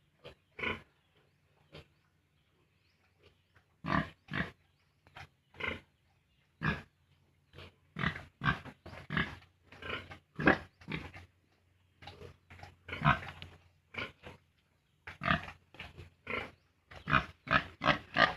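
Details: Pigs on a farm where piglets are weaned from the sow at 32 days: a long run of short, rough grunts. They come in irregular bursts, some in quick clusters, with a man talking at moments between them.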